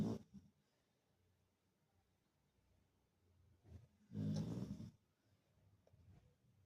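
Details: Labrador Retriever asleep at home, giving low, rough snores: a short one at the start, a soft one later, then a louder rasping snore lasting under a second, in a quiet indoor room.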